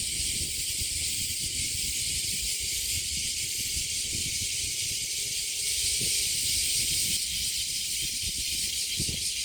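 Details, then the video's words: Summer cicada chorus at Kasai Rinkai Park in Tokyo, Japan. The shrill, continuous sizzling buzz holds steady and swells slightly toward the end, with soft low thumps and rumble beneath. "매미소리에 이끌려- / せみの声に引かれて-"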